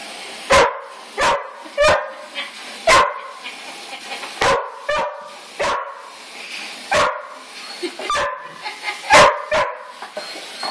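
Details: Border Collies Casey, mostly white with some black, Jersey, red and white, and Fenway, mostly black with some white, at play; sharp barks repeat about every second, with brief whimpering between, recorded on an Android phone.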